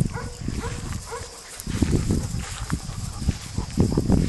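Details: A Weimaraner, among a family of 3-month-old puppies and adult weims on a sunny-day walk, gives three brief, nasal, slightly rising whines in the first second; then scuffling footsteps, rustling and a low outdoor rumble follow.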